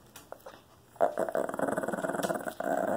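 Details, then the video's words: Shih Tzu growling while being put in timeout: a quiet start with faint sounds, then from about one second a continuous low rumbling growl with pulsing texture, briefly broken near two and a half seconds before resuming. "Shih Tzu timeout"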